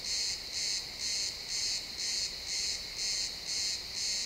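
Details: Pine forest at sunset with crickets calling, XY stereo field recording: bright, high chirps repeating roughly twice a second, each a short buzzy burst, over a low background hush.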